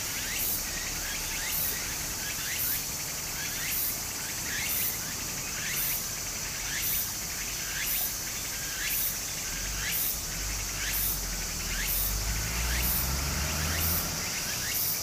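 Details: Cicadas singing in summer beside a small stream in Japan: a steady high shrill drone with bright pulses roughly every second, repeated short rising chirps in the middle range, and the constant rush of flowing water underneath.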